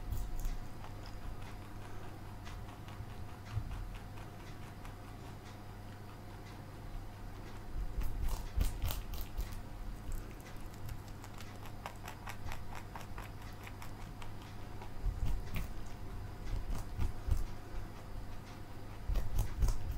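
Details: Marshmallow, a pet male bunny, eating broccoli indoors: crisp rapid crunching clicks come in dense bursts, strongest around the middle and again near the end, over a steady low room hum.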